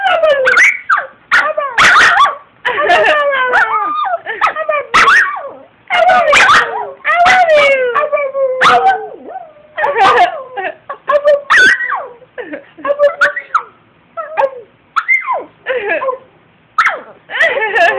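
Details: Two-year-old female Brussels Griffon howling excitedly in reply to high-pitched human howls: wavering, falling whines and yips in rapid bursts, mixed with sharp higher yelps, with short pauses between bouts.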